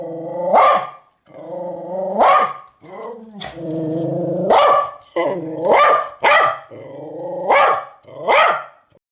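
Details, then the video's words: A big dog gives deep, rough barks mixed with growls, about one every two seconds. Each bark rises into a harsh burst, and a long rumbling growl sits between them in the middle. "Los mejores LADRIDOS DE PERROS"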